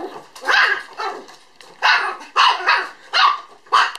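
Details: Female apricot-coloured puppy born 17 April, recorded 11 December 2012, giving short, high, yappy barks in uneven bursts, about seven in four seconds, some doubled in quick pairs, with a quiet background.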